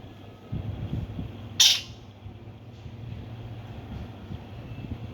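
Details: Himalayan squirrel giving a single loud, sharp, high chirp lasting a fraction of a second, set against a steady low rumble of background noise.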